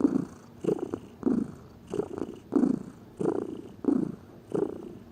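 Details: Gentle purring from a lazy domestic pet cat, around eight short rumbling pulses separated by quieter pauses, a soft breath-driven rhythm.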